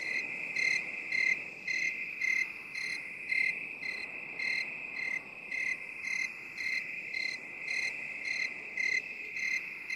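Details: Crickets in binaural 8D relaxation audio: rapid, regular high chirps about twice a second, loudness rising and falling, over an unbroken high-pitched insect hum.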